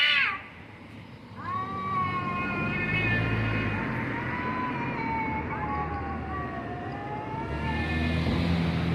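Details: Two cats make funny noises, with a series of drawn-out, wavering meows, some rising and others falling, strung across several seconds above a constant low rumbling drone.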